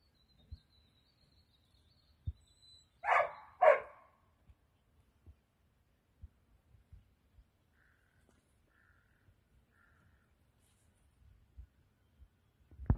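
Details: Kanchi, a rescued female Tibetan Mastiff (bhote kukur) wary of and aggressive toward people, at Godavari, Nepal, gives two deep, loud barks about half a second apart, then near silence with faint clicks and knocks.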